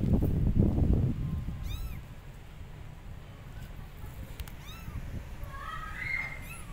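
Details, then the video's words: Abandoned kittens on a gate calling their mother cat with loud meows; a few thin, rising-falling meows spaced through the recording, with a burst of low rumbling noise at the start and steady background hum. "Abandoned Kittens Are On Gate Meowing Loudly Calling Mom Cat"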